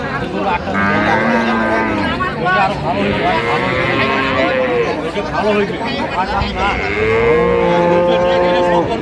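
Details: At Ambari Haat market in Dinajpur, an improved-breed dairy cow sold alongside calves gives two arched, rising-then-falling moos several seconds apart, over steady crowd chatter and men talking, 16/11/25.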